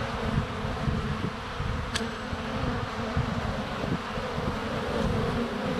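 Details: Honey bees flying around a hive entrance on a sunny February day, recorded up close with a GoPro Hero 7 Black; dense, steady low buzzing hum with brief ticks, one sharp click near two seconds.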